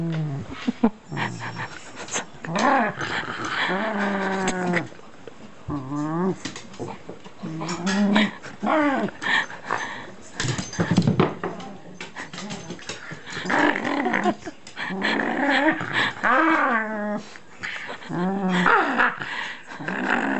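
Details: Shiba Inu caught up in play with packing tape, carrying it in its mouth; a run of whining, growly harmonic vocalizations that rise and fall in bursts across the clip, with brief pauses between outbursts.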